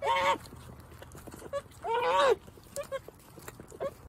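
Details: Nigerian Dwarf goat twins, very vocal young kids, calling while nursing; two short, nasal bleats with a rising-then-falling tone sound about two seconds apart, with faint sucking and clicking noises between them.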